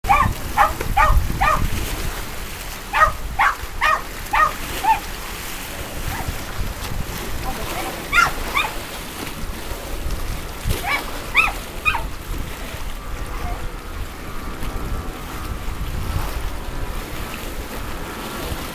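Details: Puggle named Charlie makes lots of noise beside a dock while chocolate dogs jump in to retrieve a dish brush. Sharp barks come in quick bursts of three to five, pause, then return, with voices and splashing around them.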